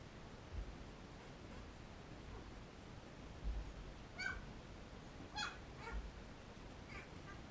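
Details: Labrador Retriever puppies, 13 days old, nursing from their mother Cecilia; brief high squeaky whimpers come in a quick cluster of three or four in the second half, over a steady background hiss.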